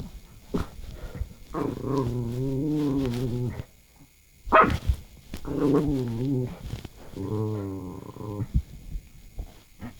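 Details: Pet dog making strange noises, one of two dogs named Noranggi (the big one) and Bori (the small one); low, drawn-out groaning moans with a steady tone in three long stretches, broken by short sharp knocks and a brief noisy burst midway.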